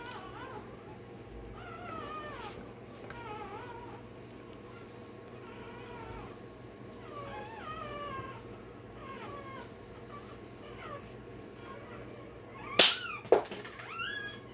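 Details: Day-old Rottweiler puppy undergoing tail and dewclaw removal keeps up rapid, wavering squeals and whines, about two a second, with two sharp clicks near the end and a low hum throughout.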